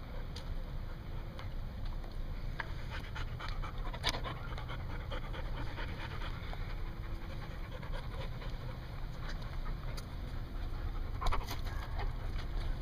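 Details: Dog at a dog daycare in Hooksett, New Hampshire, dated 01 02 2016, panting steadily: a continuous low, breathy rasp with scattered faint clicks and taps over an even background hum.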